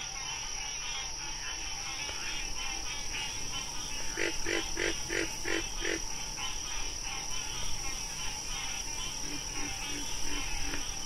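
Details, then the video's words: Frog: a quick run of five or six low, clipped croaking pulses near the middle, then fainter repeated pulses toward the end, all over a steady, dense high-pitched insect buzzing and trilling. "Frog Sounds"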